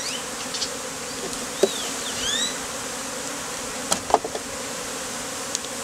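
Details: Honey bees worn as a beard by a beekeeper in the heat, taken from a hive inside a statue; steady low hum overlaid by brief high sweeping chirps and a few sharp clicks.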